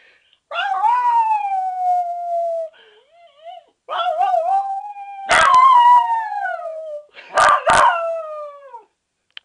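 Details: Sonny the dog howls at the alarm clock, three long mournful howls that start high and slide downward, separated by short gaps, with a few sharp clicks and yips; no alarm tone audible here.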